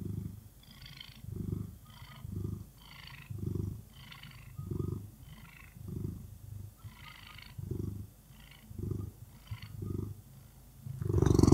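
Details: Orange cat purring happily in the morning: deep, close rumbling purr rising and falling with each breath, roughly every second, with a louder rustle at the very end.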